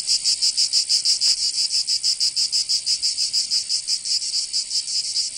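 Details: High metallic cicada buzz in a Provence summer, southern France, chopped into rhythmic pulses about three a second, with a brief faint tick early on beneath the steady drone.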